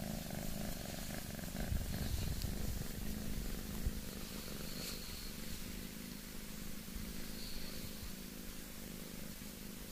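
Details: Boss Cat, a domestic cat, purring: a steady low rumble pulsing throughout, with faint brief higher sounds in the background.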